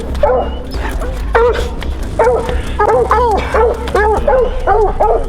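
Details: Hunting hounds trailing a mountain lion track in Colorado, some of them pups in training, bay in a steady chorus of rising, ringing barks, repeating more than once a second.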